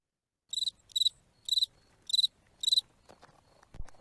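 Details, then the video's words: Cricket song played for children in a speech-therapy lesson about insects, made by rubbing its wings: five short, high, crackling chirps about half a second apart, followed by faint clicks and rustling. "послухаємо як цвіркун вміє співати"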